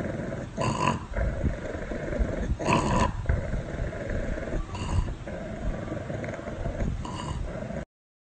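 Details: A pug dog kept as a pet gives a sustained deep, gravelly growl, with harsh surging bursts about every two seconds over a steady low rumble.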